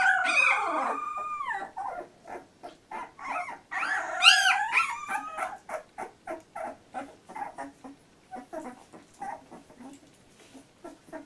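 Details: Two-week-old Labrador Retriever puppy in a litter: loud overlapping squeals and a long piercing whine at first, then a quieter train of rapid soft whimpers about three per second fading toward the end.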